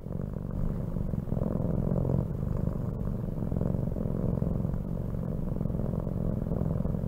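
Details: Close domestic cat purr, a deep buzzing drone of rapid pulses rising and falling with the animal's breathing roughly every one to two seconds, otherwise quiet.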